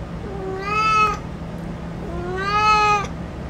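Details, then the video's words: Male cat, named Hanzell, giving two drawn-out meows, each rising slightly and holding steady for about half a second, separated by a pause, over a low steady hum. "MALE CAT SOUND | Cat Hanzell Sound"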